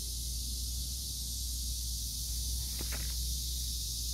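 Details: Cicadas calling near an old tree among morning glories, pumpkin leaves and pepper plants make a steady, shrill, unbroken buzz throughout, over a low constant rumble and a brief soft knock near the end.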